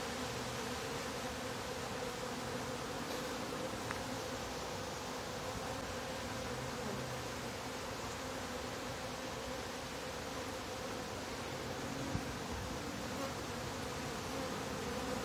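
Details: Continuous honey bee hum from a top bar hive while the bottom board is being closed, a thick, level drone for fifteen seconds with occasional faint clicks and a brief thump near the end.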